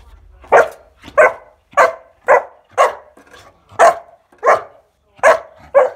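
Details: Bowie, a 14-week-old Kuvasz puppy, barks while playing with a scale indoors: nine loud, sharp barks repeated roughly every half second to second, fairly steady, with a faint hum in the room and nothing else competing.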